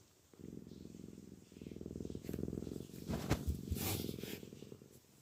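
A Maine Coon cat purrs with a deep, steady rumbling vibration.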